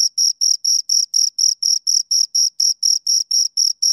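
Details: High-pitched cricket chirps from two crickets, evenly spaced at roughly four per second, each pulse a brief scraping trill with a thin upper overtone; nothing else audible.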